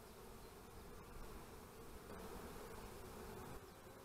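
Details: Honey bees at beekeeping hives on 25 March 2015 give a dense, steady low buzz. The hum swells slightly in the middle and holds evenly throughout.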